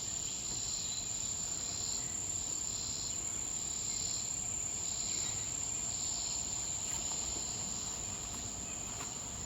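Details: A swamp cicada, one sounding really close and possibly two, sings in rasping, pulsing bursts about once a second on 20 July 2026, over a steady thin high insect whine and a hissy background.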